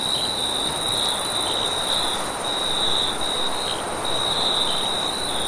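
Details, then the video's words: Crickets trilling at night across a vast wheat field: a continuous piercing high trill with brief gaps and brighter bursts, accompanied by a steady rushing wind. "Crickets And Wind Sounds In a vast sun kissed wheat field"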